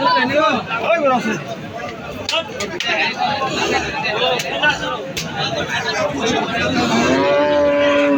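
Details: Cattle at the Aricha cattle market: repeated deep, drawn-out moos with rich harmonics, one long steady lowing at the end, over crowd chatter and market bustle.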